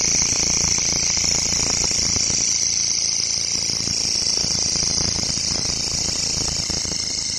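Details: Grasshopper in a local forest: a continuous, shrill, high-pitched buzzing drone that holds steady for the whole stretch, over a low rumbling background noise.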